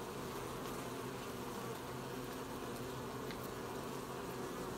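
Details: Dense buzzing of many honey bees gathering honey, recorded 20 July 2020 at an apiary; an unbroken low drone with a faint airy hiss and a few light ticks.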